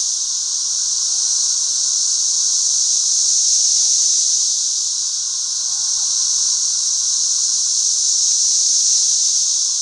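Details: Thousands of 13-year periodical cicadas flying all over a back yard: a dense, unbroken high hissing drone with slow swells in loudness and a fainter steady hum beneath, plus a few soft brief whistles in the lower range.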